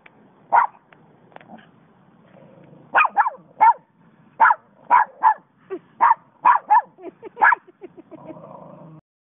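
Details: Dog barking at the strawberry moon: about a dozen sharp, mid-pitched barks, a single yap first, then after a pause quick runs of two or three barks spaced under a second apart, with low rumbling background hum.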